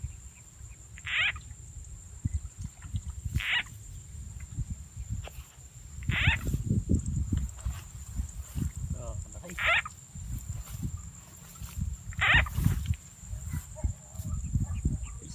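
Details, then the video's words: Frog-catching with a frog sound effect in rural Rizal N.E.: five rasping croaks come at uneven intervals of two to three seconds, mixed with low murmuring human voices and thumping movement noise. "Catching frogs using frog’s sound effect"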